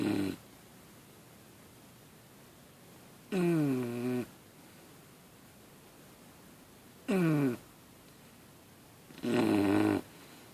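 An English Bulldog puppy snores in loud, rasping bursts separated by quiet pauses.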